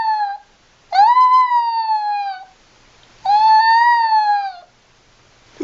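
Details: Puppy beside its mother, crying in long, loud, tonal whines that start high, hold, and slowly fall, two drawn-out cries about two seconds apart with a short squeak at the end.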